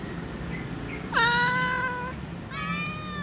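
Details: Hungry cat begging for food among other cats: one loud, long meow that swoops up then holds steady, followed by a second shorter, flatter meow, with a faint low hum behind.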